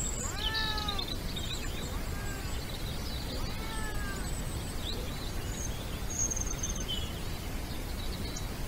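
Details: A wild European wildcat in the Iberian Peninsula, Spain, gives drawn-out, arching meows repeated every second or two, its courtship call during the mating season.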